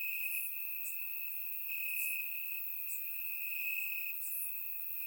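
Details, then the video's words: Crickets singing among grass on a warm summer night in Bulgaria; one steady shrill trill runs without pause, while several brief brighter chirps pop up irregularly above it. "Cricket Sounds - Crickets Chirping at Night"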